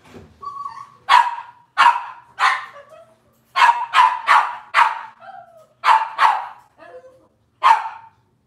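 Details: Young Cavalier King Charles Spaniel puppies from Robin's litter calling with a rapid series of high, sharp yips and little barks, around a dozen in eight seconds, with short whiny slides between them.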